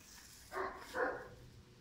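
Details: German Shepherd puppy, five months old, kept for sport or police work; two quick, rough barks in succession, about half a second apart, over a quiet background.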